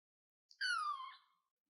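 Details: Kitten perched on a chair lets out one thin, whiny cry that starts high and slowly slides down before trailing away, heard against silence.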